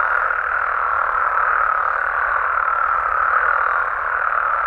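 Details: Mexican frogs and toads at night in their native habitat: an unbroken, even roar of many overlapping croaking voices, with no pauses and no other sounds standing out.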